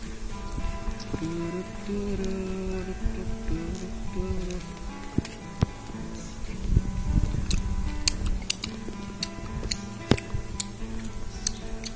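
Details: A tuneful music track with a sustained melody and scattered sharp clicks and taps, with no animal sound standing out.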